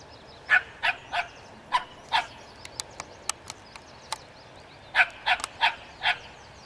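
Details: Dog barking at a skunk: clusters of short sharp barks in bursts, separated by clicking ticks and a brief pause, with faint high chirping in the background.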